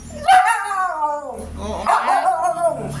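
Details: Siberian Husky voicing two long, wavering, talk-like howls, each starting high and bending downward, with a brief pause between them and faint low background hum.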